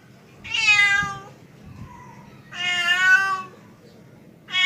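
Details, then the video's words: Male domestic cat calling a female: two long, drawn-out harmonic meows of nearly a second each, a softer low mew between them, and the start of a third at the end, over a faint low hum. "SUARA KUCING JANTAN MEMANGGIL BETINA"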